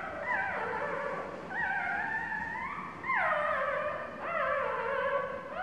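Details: Two-day-old puppy squealing for help as the mother dog sits on it: a series of long, wavering, tonal cries that rise and fall, each lasting about a second, with clear harmonics over quiet room noise.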